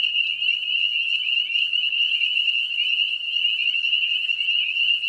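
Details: Dense breeding chorus of spring peepers, tiny frogs about an inch long, in wooded lowland near ponds: unbroken shrill high trill of overlapping peeps with no other sounds.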